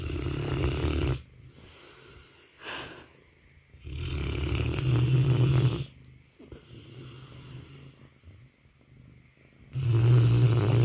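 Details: Banner, a Mastiff, sleeping and snoring: loud low rumbling snores roughly every four to five seconds, each lasting over a second, with quiet breathing gaps between.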